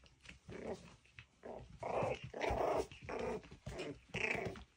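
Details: Miniature schnauzer puppies playing indoors give rough, buzzy play growls in repeated bursts about a second apart, each a throaty snarl rising and falling, with a higher squeal near the end.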